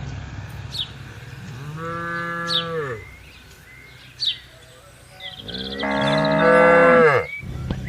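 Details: Tame herding cattle on spacious green land mooing to gather the herd: two full, harmonic moos, the second longer and louder, each bending downward at the end, with scattered thin chirps between them.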